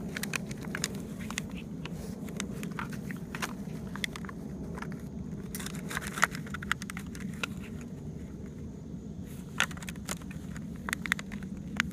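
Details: Low steady hum with scattered clicks, crackles and scraping taps, like a plastic cup being chewed and knocked about; no barking or other animal voice.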